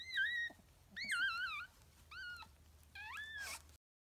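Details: Japanese Chin puppy giving four high, wavering whining cries, each about half a second long with a bending, slightly warbled pitch, separated by short pauses; a faint low hum sits underneath.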